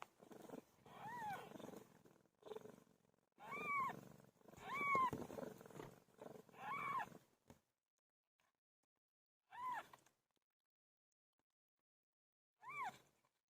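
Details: PILO, a pet cat giving birth, makes strained, rough meows in a close run at first, then falls quiet with only two isolated clear meows after long gaps.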